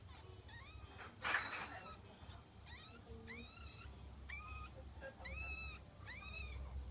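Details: Karashi, a ten-day-old rescued kitten found without its mother, eyes still closed, sleeping and yawning; high, thin arched mews with bright harmonics come about six times in seven seconds over a low steady background hum.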